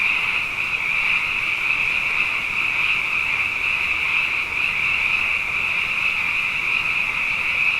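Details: Dense nighttime frog chorus, the frogs abundant after two successive wet years, a seamless high-pitched trilling hum sustained evenly from start to finish without other noticeable sounds.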